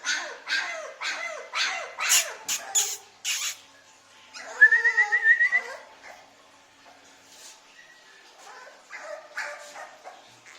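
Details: Dog barking among puppies offered for sale in India: a run of short sharp barks and yelps in the first three seconds, then a rising whine, with faint later barks and people talking nearby.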